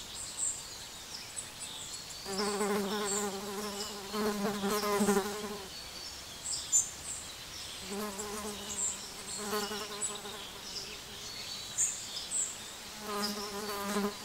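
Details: Small bees feeding, enjoying their breakfast: a low, steady buzzing drone rich in overtones, coming in three separate bouts of a few seconds each with quieter gaps between, faint high chirps in the background.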